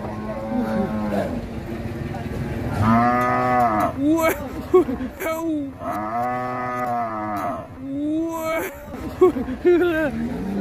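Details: Sacrificial cow running wild while being unloaded from a truck at Siyono Harjo market, giving three drawn-out bellowing moos spaced a few seconds apart, each rich and harmonic with a falling tail, between shouts and chatter of onlookers.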